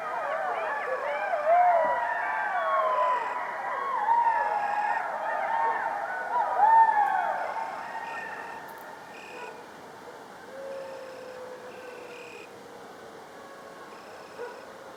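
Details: Pack of coyotes howling, a dense chorus of quavering, swooping howls and sharp yips that swells twice, then thins to a single long falling howl and fades, with a steady insect drone in the background.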